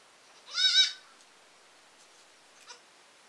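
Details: Single quavering bleat from baby goats, rising slightly and trembling for about half a second, then a faint short cry afterward against a quiet background.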